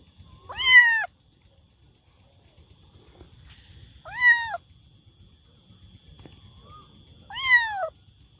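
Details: Three loud kitten meows, each a rising-then-falling cry with rich harmonics, spaced about three seconds apart, over low background rumble and a thin steady high tone.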